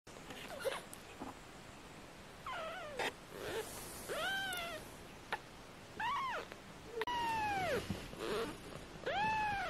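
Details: British Shorthair kittens, 18 days old, from a litter of four, giving repeated high, thin meows that arc up and fall, several in quick succession, some overlapping, with quiet gaps between bursts.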